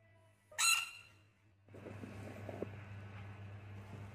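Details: Baby rain frog giving one short, harsh squawk with stacked bright overtones, followed by a second and a half of quiet, then steady rustling and handling noise with a low hum underneath.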